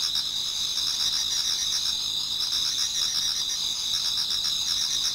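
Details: Towards dawn in autumn, a crowd of insects sings in a Japanese garden, a steady, ringing high-pitched drone with a softer pulsed trill beneath it that swells and fades.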